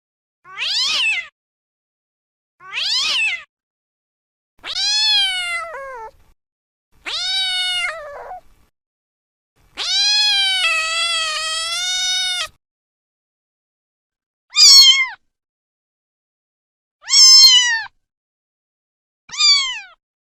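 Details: Kittens meowing: a series of about eight high, thin mews spaced roughly two seconds apart, some short and rising, one long wavering meow held for over two seconds, against silence.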